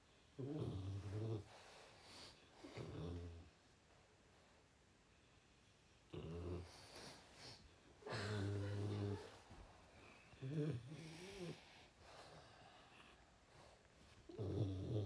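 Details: Indoor French Bulldog cuddling his owner at bedtime, giving a series of low snorty, rumbling grumbles in bursts every few seconds, some longer and moaning, with quiet breathing gaps between.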